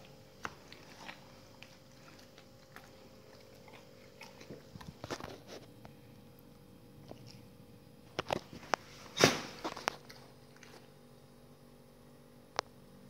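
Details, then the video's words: Dogs eating raw meaty salmon bones and raw chicken carcasses indoors: scattered wet crunches and bites, sparse at first, then a cluster of loud cracking bites near the end, over a quiet room hum. "dogs eat raw meaty bone salmon and raw chicken carcasses [ASMR] 動物の咀嚼音"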